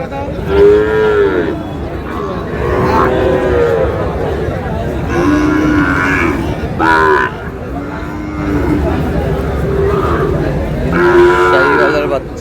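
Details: Sahiwal breed bull calves at a Chittagong cattle market in July lowing repeatedly: short arched moos come every second or two, overlapping one another, against steady chatter and haggling from the crowd.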